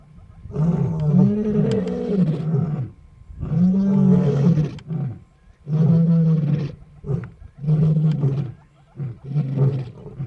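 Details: Roaring of the Shish Brothers lions, including Casper the white lion, near Nsemani Dam in Kruger National Park, South Africa; five loud, deep, moaning roar bouts, each lasting one to two seconds with brief gaps between.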